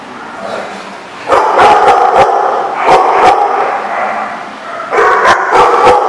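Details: Dogs barking, recorded 16 May 2014: loud, rapid, overlapping barks break in after a quieter start and continue in dense clusters, with a fresh burst of barking near the end.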